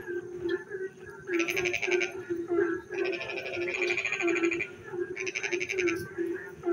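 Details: Frogs singing in the dark at night during rain: rapid pulsed rasping bursts lasting about a second, coming in three bouts, over a steady low droning chorus of other frogs.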